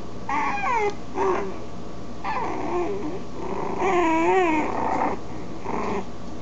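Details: Puppies giving a series of high, wavering whimpers and whines, each cry rising and bending in pitch, in bursts about a second apart with short pauses between, over a steady background hum.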